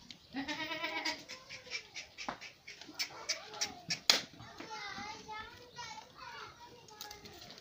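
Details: Goats at a goat farm in Sindhipura, Pipar City, Jodhpur, Rajasthan, with repeated wavering, nasal bleats rising and falling across the clip, overlapping a man's voice and handling noises nearby.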